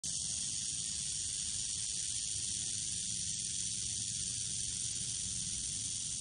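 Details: Prairie rattlesnake coiled on a Red Rocks path near Morrison, giving a steady, unbroken high buzzing hiss that runs the whole time without pause, over a low rumbling background.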